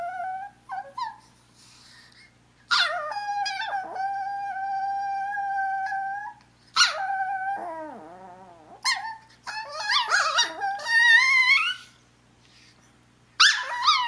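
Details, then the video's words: Indoors, a female Chihuahua named Umi pesters her sister Sola to play with a high-pitched voice; drawn-out whines and yelps, a wavering lower howl in the middle, then rapid squealing bursts near the end. "Talkative Chihuahua"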